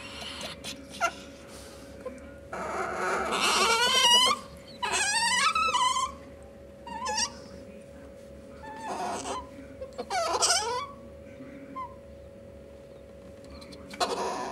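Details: Ferrets, a male hob and a female jill, during flirting and mating; loud, harmonic squeals with wavering, rising-and-falling pitch come in bursts separated by quieter gaps, over a steady low hum.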